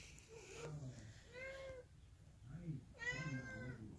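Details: Domestic Long Hair cat indoors playing with a new remote control jeep; two drawn-out meows, the second louder and rising, with a person speaking softly between them.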